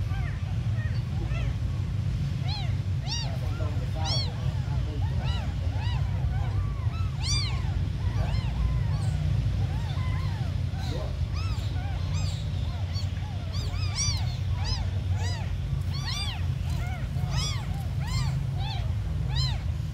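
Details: A litter of tiny abandoned kittens crying nonstop: dense bursts of sharp, arched mews, often several at once, repeat across the recording above a constant low rumbling background.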